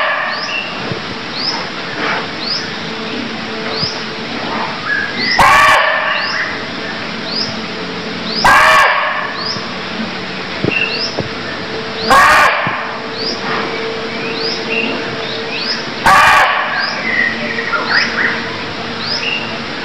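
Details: Cambodian barking deer calling with four sharp, raspy barks at uneven gaps of three to four seconds, while small birds keep up repeated high upslurred chirps and a faint hum runs underneath.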